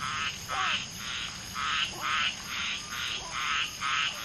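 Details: Mating common tree frogs, one female spawning with two males, amid a chorus of many calling frogs. Rasping croak bursts come in an uneven run of about two per second, with soft falling chirps between them.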